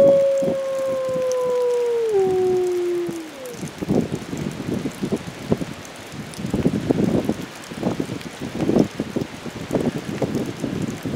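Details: Wolves at Wolf Park, led by Fiona with brothers Bicho and Kanti, howl along to tornado sirens amid a Sunday Midwest storm of high winds and rain; a drawn-out tone slides downward and fades, leaving heavy rain and wind.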